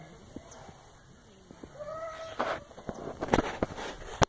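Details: Domestic cat giving a drawn-out, tonal meow that holds steady, followed by a burst of sharp clattering knocks and thumps, with faint speech in the background.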